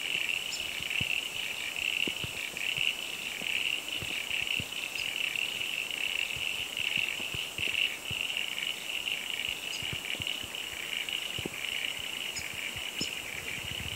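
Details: Frog chorus at Bellthorpe Stays on a cloudy day, a steady high-pitched trilling band sustained throughout, with faint higher pulsed notes and scattered soft clicks.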